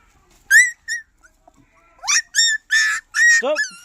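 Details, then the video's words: Puppies giving short high yelping whines, two quick ones first, then after a pause a run of four longer, bright, harmonic whines in close succession, the last sliding sharply downward; quiet between calls. "कुत्ता का बच्चा"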